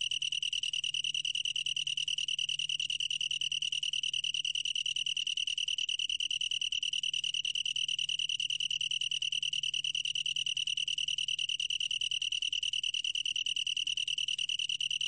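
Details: Long-tailed tree cricket singing a steady, continuous high trill of rapid, even pulses. The song holds one clear pitch with a faint overtone above it and a low hum beneath, and no other animals are audible.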